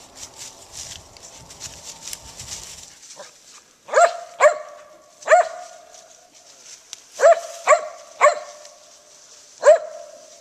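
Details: Gray's Mountain Feist named Daisy barking while hunting squirrels: seven loud, clipped, resonant barks in irregular pairs and singles after early rustling and handling noise.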